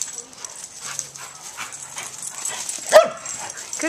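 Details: Joy, a senior German Shepherd, and Riley, a year-old Pit Bull pup, play together while up for adoption with Coastal German Shepherd Rescue OC; soft yips and whimpers lead to one sharp, loud bark near the end, with a woman praising them.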